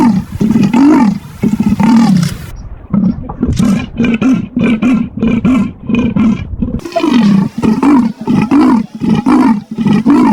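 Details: Leopard producing a long, dense run of coarse sawing grunts, one following another with barely a break and occasional brief drops in level, for about ten seconds.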